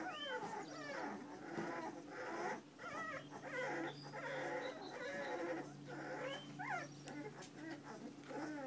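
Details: Puppies whine in a steady stream of short high yelps and wavering whimpers, several voices overlapping, over a low steady hum.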